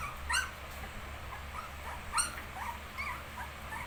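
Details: Nineteen-day-old shih tzu puppies whine faintly, with a few short curved squeaks scattered at uneven gaps against a steady low background hum.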